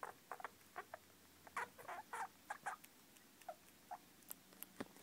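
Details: Young squirrels squeaking in a steady string of short chirps, several loud doubled peeps in the middle, over soft pattering and rustling as the babies move about.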